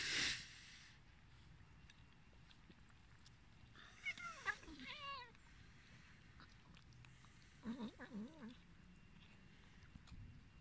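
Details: Hungry, abandoned cats: a drawn-out, wavering meow rises then falls near four seconds, and a shorter, quavering meow follows near eight seconds. The background is quiet and hissy, with a sharp click at the very start.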